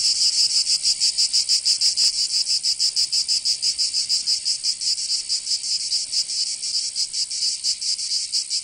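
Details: Summer song of cicadas in Provence in the south of France, a constant high rasping buzz throbbing in rapid pulses, loud and continuous across the whole stretch.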